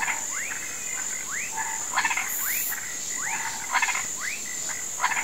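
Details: Frogs and toads croaking in a rural marsh at sunset give short, rising whistled notes about once a second over a steady high insect drone.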